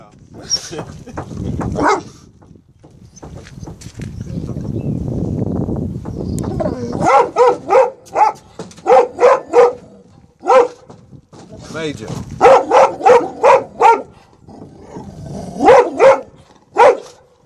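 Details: Protective male Presa Canario barking in Atlanta, Georgia, on 18 January 2014, after reuniting with his two-year-old son; human speech and rustling noise fill the opening seconds, then bursts of rapid, evenly spaced deep barks follow.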